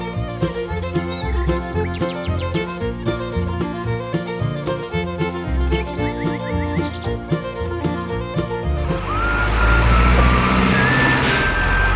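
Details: Lively fiddle music plays, then gives way to a roaring engine with a few beeps, and no animal voice is heard.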